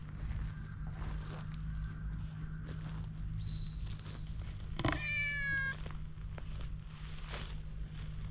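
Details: Outdoors, a cautious stray cat, filmed on a GoPro HERO8 while being won over with a cat brush, lets out one clear, slightly falling meow over a constant low droning hum and faint scuffing sounds.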